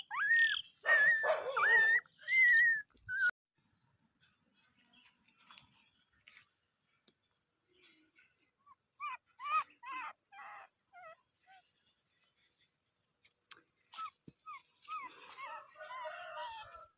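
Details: Dog giving a few loud, high, wavering whines at the start, followed by faint, short yips and whimpers scattered through long quiet stretches.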